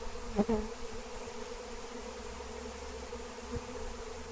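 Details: Honey bees of a wild swarm hum steadily while being caught with Melissa plant (lemon balm); the constant low buzzing is broken by a sharp knock early on and a soft tap near the end.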